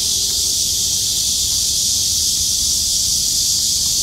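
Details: Loud chorus of many kuliglig cicadas singing together on a hot summer day in Jongno, Seoul, South Korea, 2023; a dense, steady, hiss-like high drone fills the clip without pause, with faint low city rumble beneath.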